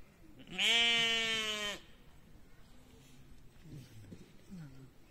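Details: At a petting zoo in the Hohe Wand nature park, Lower Austria, a pygmy goat utters a single loud, harmonic, slightly quavering bleat lasting about a second, followed by quiet background chatter.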